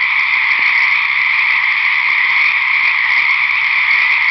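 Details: A loud chorus of frogs of unidentified species calls at night at a seasonal lake that dries up in summer, in a dense, unbroken chorus of high, buzzy trills.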